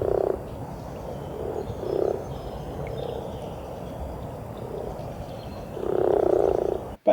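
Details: Common frogs visiting a pond briefly in spring to breed, giving their very low-pitched call: soft, low purring croaks in short bursts, a louder longer grumbling run near the end, over steady background hiss.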